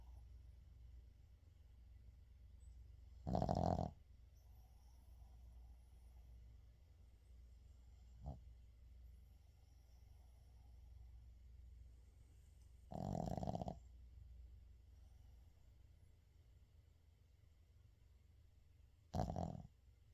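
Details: Shih Tzu named 의중 asleep, snoring in widely spaced bursts: three short rasping snores roughly every eight seconds with a faint click between, against a low steady indoor hum.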